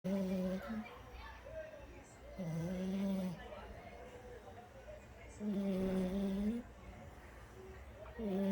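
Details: French Bulldog snoring: a droning, hum-like tonal snore with harmonics, about one second long, heard in three bursts separated by quieter breathing.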